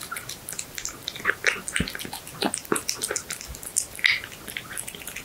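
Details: Domestic cat eating horse meat indoors, close-up ASMR recording: wet, sticky chewing and smacking with crisp clicks and small bites in irregular bursts, several per second, in a quiet small room.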